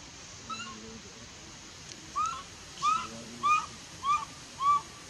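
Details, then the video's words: Faint, evenly spaced whimpers from a baby monkey at Bayon denied milk by its mother: brief arched whistled notes repeated about every half second, over a low background murmur. "Super sad baby monkey is crying when her mom is try pushing her out for reject milk"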